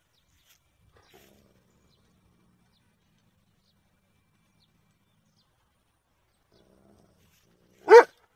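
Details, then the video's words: A single short, loud dog bark near the end follows a long stretch of near-silence. "Dog Barking"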